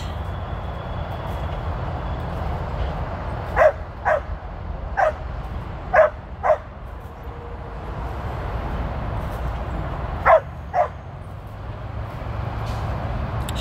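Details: Tir, a female Border Collie on her first run with sheep at age thirteen, 2/23/23, lets out scattered single and paired barks several seconds apart against a steady low background rumble.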